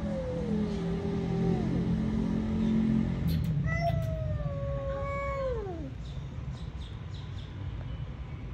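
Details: Two possibly pregnant cats fighting over a shared resting spot: a long, wavering, harmonic yowl that slides downward, followed by a louder sustained wail that dips and falls away, with constant low rumbling behind.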